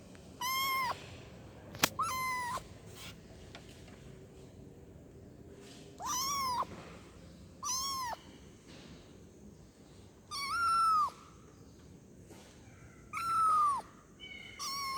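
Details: Kitten meowing as it calls for its mother, giving bright, arched mews about every one to three seconds, some short and some longer and falling in pitch, with a sharp click heard early on.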